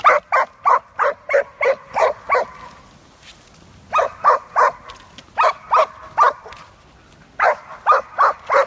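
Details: Poppy, a giant schnauzer that skateboards, gives rapid, evenly spaced barks in three bursts, about eight, then six, then four sharp yaps, with brief quiet gaps between the runs.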